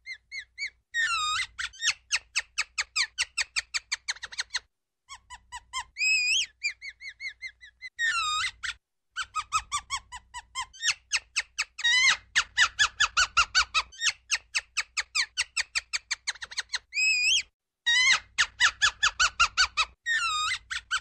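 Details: Ground squirrel calling in long, rapid trains of sharp descending chirps, broken by short pauses and several rising, wavering whistles; the bursts start and stop abruptly.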